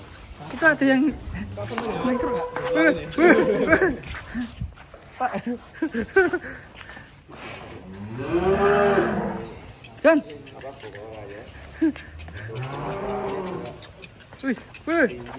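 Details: Cattle on an Indonesian farm, a cow that had broken loose: drawn-out low moos with rising and falling tone, one long moo near the middle, mixed with men talking and background music.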